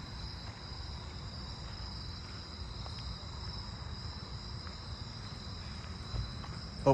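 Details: A fall field cricket (Gryllus pennsylvanicus) sings a steady, high, shrill trill over a low background rumble on a late-August night in a neighbourhood with other crickets and katydids calling.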